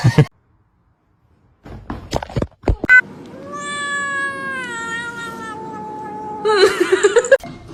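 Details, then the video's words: Kitten giving one long, drawn-out, tonal meow that slides slowly downward and fades, with a person talking before it and some clattering handling noise just after. "Kitten meowing"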